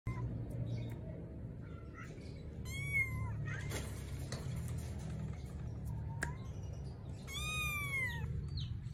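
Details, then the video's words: Two-month-old Persian kitten searching for its mother, giving two clear, drawn-out meows that rise then fall, one near the middle and one near the end, over a steady low hum and faint background clicks. "Anak kucing mencari induknya"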